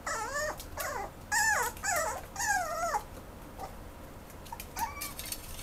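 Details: Mame Shiba dog at a shop rehoming dogs, giving a series of high, nasal whining whimpers, each arching up then sliding down, about six close together in the first three seconds, then fainter short whines.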